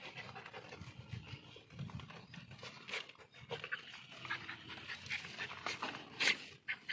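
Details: Beagle puppy reacting on first seeing guinea pigs and rabbits: quick, breathy, noisy panting in rapid irregular bursts, with a sharp high squeak near the end and faint background rustling.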